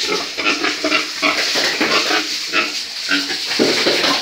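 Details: Breeding stock pigs on a farm making a busy stream of short coarse grunts and snorts, closely spaced throughout, over a persistent hiss.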